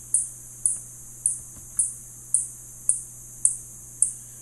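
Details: Spotted bat producing eight crisp, high-pitched clicks spaced about every half second, louder and clearer than the background hum, ending with a sudden sharp click.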